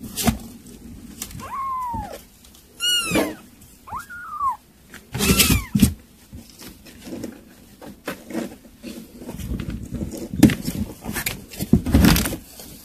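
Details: Kittens at weaning-food mealtime let out several arched, whining mews in the first half, each rising then dropping, amid tapping, rustling and chewing sounds.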